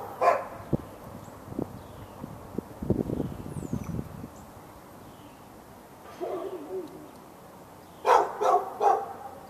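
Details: Fenced backyard dog in Raleigh, North Carolina, on February 15, 2012, barking for hours at neighbouring dogs. An opening bark, a stretch of low rumbling background and a faint whine-like sound, then a quick run of three barks near the end.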